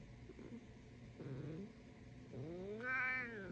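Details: A black male domestic cat gives short, sassy, trilling murrs, then a longer meow that rises and falls while a person talks to him.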